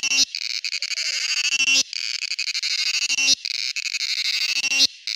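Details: Male cicada singing with tymbal membranes in its abdomen: dense, high, buzzy rattling drone in bursts about a second and a half long, each broken by a brief silent gap, repeated three times.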